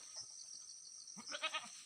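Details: Domestic farm goat kept by its owners, giving a short wavering bleat near the end, its voice pulsing in three quick beats, over a steady high insect chorus of crickets.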